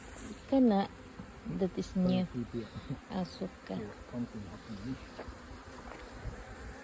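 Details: Swarming kept honey bees, the colony splitting between two queens, beside sayote plants; many bees fly close in quick succession, each giving a short droning buzz, loud and uneven, roughly every second.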